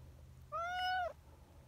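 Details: Meow of a friendly community cat, a brown tabby, that hurried over after its human companion stepped a little away: one clear, steady harmonic meow lasting about half a second, slightly arched in pitch, over a low background hum.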